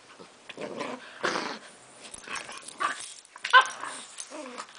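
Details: English Bulldog named Frank playing rough with a chocolate Labrador on a couch indoors; short bursts of throaty, rasping growls and grumbles with brief higher yelps, separated by pauses, a person's voice speaking in between.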